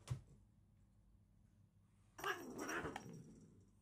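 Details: Short-legged pet cats squabbling indoors in a half-serious, comical battle; after a sharp thump and quiet pause, a low warbling growl-yowl swells and wavers for over a second, mixed with scuffling.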